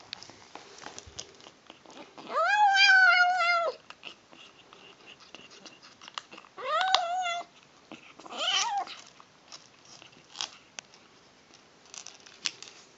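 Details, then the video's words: A female kitten makes odd noises while eating indoors: a long wavering, harmonic growl-like whine of about two seconds, then two shorter warbling calls, with chewing clicks and soft clatter between them. "Kitten Makes Funny Noises While Eating"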